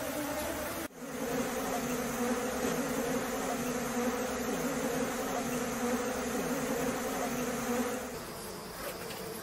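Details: Mass of bees droning as they are driven from their hive with a waving leaf during honey extraction; dense, even hum with a brief cut near the start and a softer fall-off toward the end.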